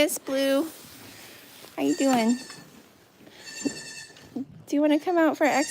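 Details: Goats at a farm, heard during a live broadcast, bleating in three bursts: wavering, nasal calls with a quavering, falling tail, separated by quiet stretches of indoor background.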